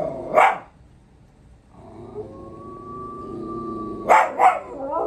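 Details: Puppies reacting to a dog howl challenge: a sharp yelp-like bark, then a long, steady, thin tone held for about two seconds, followed by two more quick barks and a rising whine at the end.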